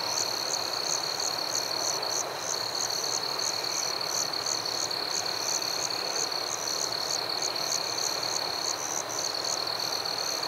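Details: Night-time forest crickets: a continuous shrill, ringing trill with a rapid series of higher chirps pulsing about twice a second, briefly faltering near the end, against a constant airy background hiss.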